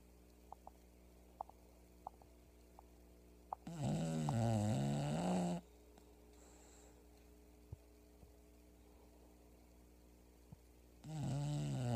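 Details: Sleeping English bulldog named Pebbles snoring hard: two long, rough, low rumbling inhales about seven seconds apart, each close to two seconds, separated by near silence with soft clicks.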